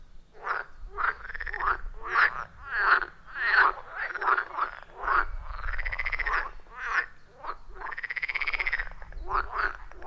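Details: Chorus of frogs around a wild pond deep in the forest; rhythmic croaks near ninety per minute, several drawn into arching, rising-then-falling notes, others short and clipped, with low rumble beneath.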